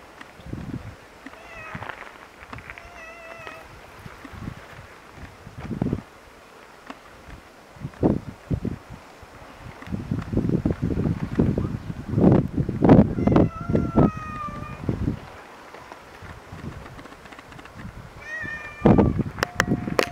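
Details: A lonely domestic cat recorded in June 2019 gives several drawn-out, wavering meows with clear harmonics, spaced irregularly across the recording, between thumps and low rumbling handling noise and background rustle.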